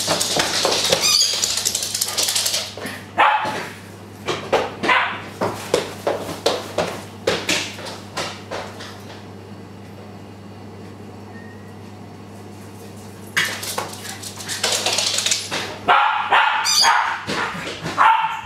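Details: Pet Japanese Spitz, excited as its owner comes home, gives rapid bursts of sharp barks and yips at the start, falls quiet mid-way, then breaks into another frantic run of barking near the end; a steady low hum runs underneath.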